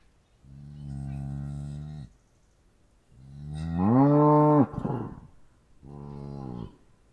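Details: Three steady moos from a cow, the first level and drawn out, the middle one louder and rising into a strong held tone, the last shorter and softer; little background noise.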